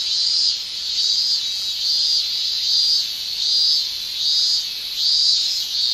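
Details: Male cicadas shrilling in a Japanese summer, their song made by the tymbal organs: a high, hissing buzz that swells and fades in regular pulses, roughly one every 0.8 seconds, with no other sounds.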